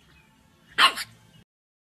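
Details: French Bulldog giving a single short, sharp bark, bright and broadband with a brief falling tail, in an otherwise quiet room with a faint low background hum.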